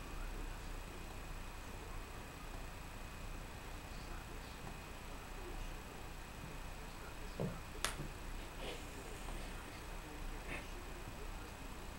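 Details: A near-silent room with a steady low hum, broken only by a few faint clicks and ticks.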